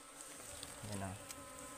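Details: Honeybees (ligwan) from a wild forest hive being harvested, described as aggressive and biting; their continuous low hum is steady, a short deeper thud falls midway, and faint clicks sound above.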